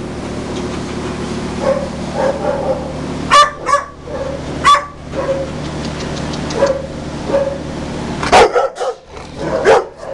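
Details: Greater Swiss Mountain Dog up for adoption in July 2015 gives a few short, sharp barks, two close together near the middle and a louder burst near the end, over a steady low hum with faint whining tones between.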